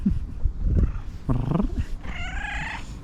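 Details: Fluffy female tabby cat, excited and asking for love and food, gives a low murmur followed by a steady, tonal meow held for nearly a second, over low rumbling background noise.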